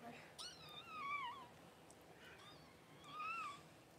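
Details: Newborn Cavalier King Charles Spaniel puppies just whelped by their mother Paris, indoors on January 1: three thin, high, wavering squeals, each sliding downward at its end, spaced across four seconds, with faint room noise.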